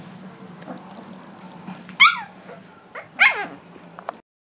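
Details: Three-week-old Leonberger puppies give two sharp, high, squealing yelps that sweep downward, about a second apart, with a short faint squeak near the end over a low steady hum in a quiet room.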